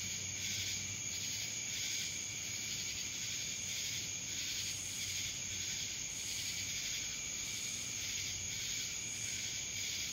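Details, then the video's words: In Dallas, Georgia, a chorus of cicadas gives a relentless high rasping hum with faint periodic pulses and an ever-present piercing tone, nothing else standing out. "Cicadas Black Screen Sounds"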